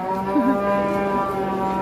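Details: Huge cattle kept in a pen, cared for two years near Gunung Telomolya: one steady, even-pitched moo held for nearly two seconds with rich overtones and only a faint background hum.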